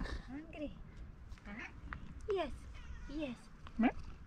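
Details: Tuxedo cat with a pink nose, a female, meowing while being asked if she is hungry; several short rising-falling meows and a chirpy mrap at intervals, with a person talking softly between them.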